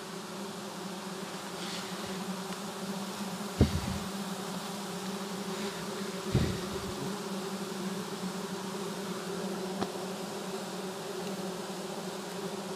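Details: Giant honey bees at a long wild forest nest during harvesting, a continuous droning buzz that holds steady, broken by two sharp knocks and a few faint clicks.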